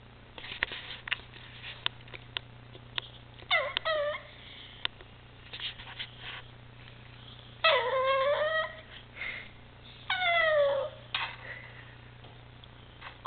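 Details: Bailey, a pet Maltipoo indoors, trying to tell its owners something: several drawn-out whining, yodel-like vocal bursts with falling and rising pitch, the longest near the middle and end, separated by quiet gaps with faint clicks and a steady low hum.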